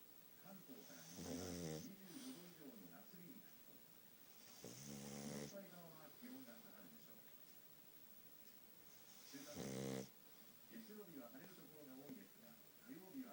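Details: Pet pug Futa asleep indoors, noseless and a heavy snorer: three strong grating snores spaced four to five seconds apart, with a low whiny wheeze on each breath in between.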